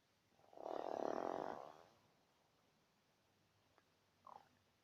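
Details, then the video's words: A badger lets out one long, rasping snore lasting about a second, followed by a faint short snort near the end in an otherwise quiet setting. "Барсук храпит"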